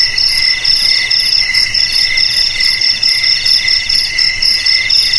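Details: Loud cricket chirps in quick pulsed trains, high and metallic, the bursts rising and falling slightly in strength every fraction of a second over a quiet background.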